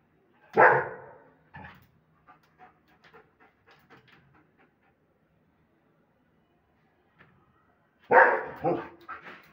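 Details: German Shepherd; bark; aggression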